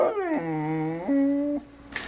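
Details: Female pet dog 'talking' back to her owner: a drawn-out tonal whining howl that slides down, holds low, then jumps to a higher steady note before stopping abruptly, followed by a brief faint click.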